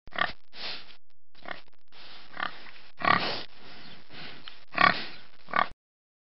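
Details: Pig grunting in short, rough, broadband bursts, about eight over six seconds, some louder and fuller than others, ending in silence.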